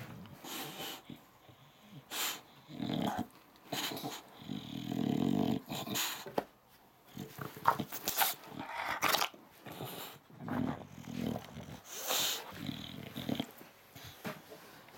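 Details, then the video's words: An upset English Bulldog named Dixon throws a tantrum indoors, grumbling and growling in uneven bursts of rough, throaty noise, with snorting breaths and sharp clicks between pauses over about fifteen seconds. "English Bulldog Throwing a Tantrum"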